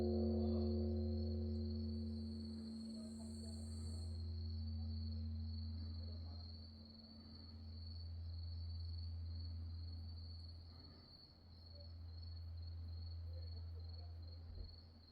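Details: Grass insects after dark at Wonhyosa temple on Mudeungsan, October 2024: a steady high-pitched trill runs unbroken throughout, while deep, resonant strokes of a distant temple bell swell and fade beneath it.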